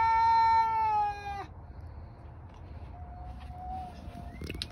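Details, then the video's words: Domestic tomcats outside yowling at one another but never fighting: a loud, harmonic wail ends abruptly with a downward drop, followed by near quiet with a faint, distant, thin tone. "Outside male kitties like to yell at each other but never fight."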